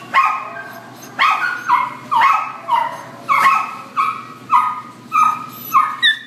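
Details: Shelter Chihuahua, black and tan, in Devore barking steadily: around nine bright, ringing yaps spaced under a second apart, each with a clear pitched tone, over a faint background hum.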